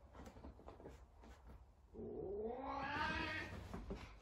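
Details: Talkative Savannah cat searching for another cat indoors, one long rising-then-falling harmonic meow lasting about two seconds after a stretch of quiet room noise and faint clicks.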